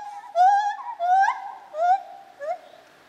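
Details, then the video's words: White-handed gibbon calling at Zoo Opole in 2015, a run of long, wavering, resonant hoots with bright overtones, each swelling then easing, closing with a short rising note. "Lar Gibbon - Gibon Białoręki"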